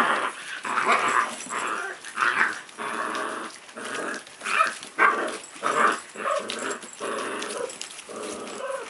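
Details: A puppy growls during play: a steady string of gruff, grumbling pulses, about a dozen over the span, fairly even in loudness, with a few sharper yappy accents.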